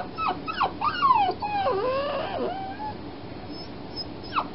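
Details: Fostered puppy whining after being spayed, during a night of crying: a run of high, tonal whimpers that slide up and down, some short and sharp, others drawn out and wavering, with a faint room hiss behind.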